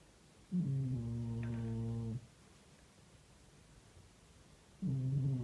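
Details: Domestic cat asleep and snoring: a steady, humming, low-pitched snore of about one and a half seconds, a pause of over two seconds, then the next snore begins.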